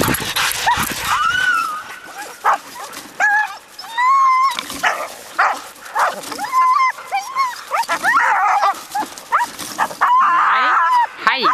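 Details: Team of Siberian huskies, six-year-old Ravn with yearlings Haidi, Znoke and Myrull, pulling on a 2011 spring run: eager wavering howls and yips while a woman calls commands like left, right and come on, Heidi.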